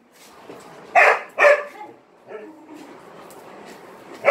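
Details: Attention-seeking dog barking while playing alongside three Malinois; two strong barks close together near one second, a softer yelp around two and a half seconds, then another bark at the very end.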